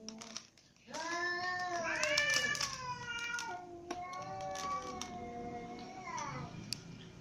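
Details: Several domestic cats, a ginger cat, mother cat and little kittens, meow together at dinner time indoors; long harmonic meows overlap, rising then falling, with a high thin kitten cry, and a voice talking in the background.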